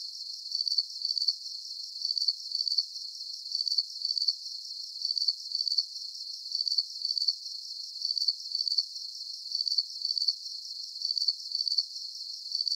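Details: Crickets keep up an unbroken, even chirping: sharp high trills in paired bursts roughly every one and a half seconds, set against a soft background buzz of insects.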